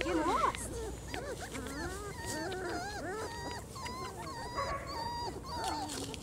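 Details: A litter of four-week-old German Shorthaired Pointer puppies on their first time outdoors, giving many overlapping high, wavering whines and squeaky yips, with women's voices speaking over them.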